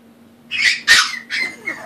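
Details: Molina, a puppy wanting help up the stairs, gives three short high-pitched whining squeaks, the second loudest, against a low background hum.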